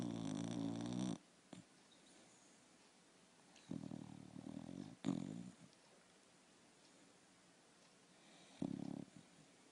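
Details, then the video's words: A sleeping dog snores loudly indoors: low, rumbling, harmonic-rich snores about a second long, coming at irregular intervals of roughly three to four seconds, with quiet breathing gaps and soft room noise between. "Смешной храп спящей собаки"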